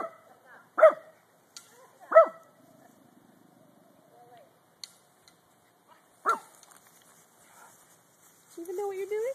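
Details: Pet dog that rarely barks, indoors: three short sharp barks spread over several seconds, with a person talking to her between and a whining yelp near the end.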